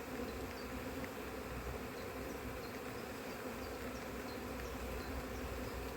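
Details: Honey bee colony on an open frame during a cold-weather inspection of a split where first queen matings failed, checked for drone laying; steady low droning hum of many bees fills the hive, with faint ticks above.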